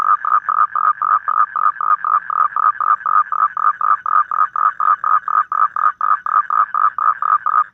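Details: A toad calls in the evening outdoors with a fast run of short, nasal croaks, about four each second.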